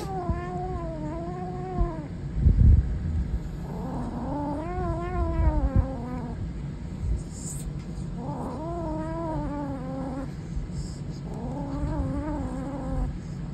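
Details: A Savannah kitten growls in four long, drawn-out moaning bouts. Each bout wavers up and down in pitch and lasts one to two seconds, with short gaps between. A few thumps and a faint high whine sit in the background.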